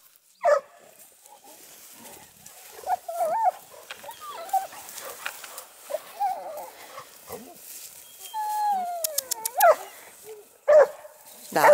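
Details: Dogue de Bordeaux dogs at the amateur breeding kennel Les Dogues de Plaine: high, wavering whines and whimpers that rise and fall, with sharp single barks near the start and end and a short spoken phrase.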